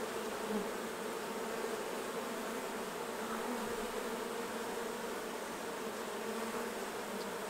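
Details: Buzzing of honey bees around the hives while honey is harvested: a dense, even drone of many wings that holds steady throughout with no pauses.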